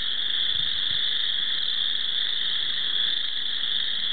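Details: A dense chorus of spring chorus frogs at Cherokee Marsh forms a steady, shrill wall of overlapping high trills.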